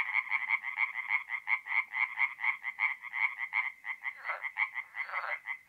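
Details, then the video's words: Tree frog singing at a forest pond at night, mid-April, north-east Italy: evenly spaced, rasping croaks repeated several per second, with a fainter, rougher call overlapping near the end. "relaxing forest pond by night with singing tree frogs"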